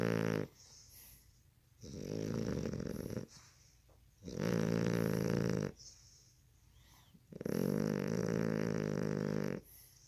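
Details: Sleeping puppy snoring heavily in a small room. Three long rumbling rasps of about one and a half seconds each come roughly every three seconds, with soft breathing between them.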